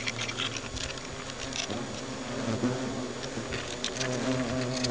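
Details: Hornets sounding alarm in their nest, a dense continuous buzz with rising and falling hum bands and rapid rustling, pattering taps throughout.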